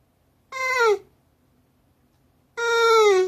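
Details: Elderly Shiba Inu, 15 years 6 months old, appealing for something: two drawn-out, harmonic whimpering wails with a drooping pitch, the second one longer, separated by a two-second pause.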